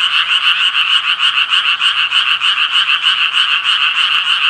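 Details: Steady, pulsing croaks from the Japanese tree frog, each harsh note following quickly at about three per second in a loud, continuous chorus; no other sounds are clear.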